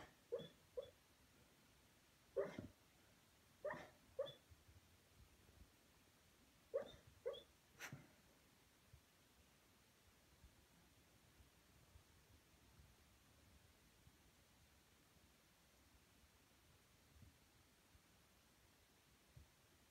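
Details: Dreaming pet Beagle Junior gives muffled little yips and woofs in his sleep, a cluster of soft paired barks in the first eight seconds, then near silence with faint breathing.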